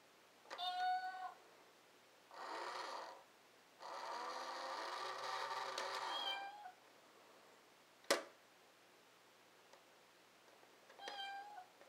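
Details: Chloe, a pet cat, playing with another cat: short clear meows with stacked harmonics at the start and end, plus longer drawn-out wavering meows in between and a sharp click near eight seconds in a quiet room.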